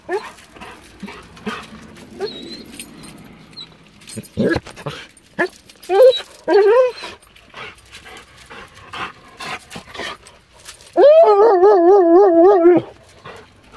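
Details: Weimaraner overjoyed at its owner's return after four days away, with soft speech and shuffling early on, short rising whimpers building, then a long loud quavering whine held for about two seconds near the end.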